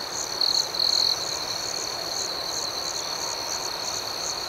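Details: Crickets at night give a constant thin, high trill; two short, louder chirping bursts come near the beginning before the steady pulsing resumes.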